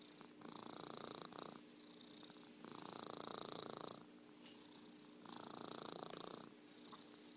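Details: Domestic orange tabby Merlin purring, with three strong, evenly pulsed buzzing stretches of about a second each, alternating with quieter rumbling breaths in a calm indoor setting.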